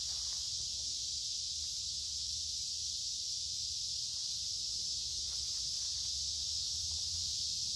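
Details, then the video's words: Many cicadas sing in woods along a creek on a warm, humid midsummer day. Their loud, unbroken, hissing buzz stays high and steady throughout, with low rumbles and faint rustling of a walk underneath. "Walking along a Creek with lots of Noisy Cicada Insects Singing in Summer"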